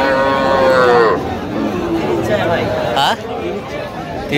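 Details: Cows for sale at Aftabganj cattle market on 18 October 2025. One cow gives a loud, drawn-out moo that slides downward for about a second, over constant crowd chatter and men's voices haggling.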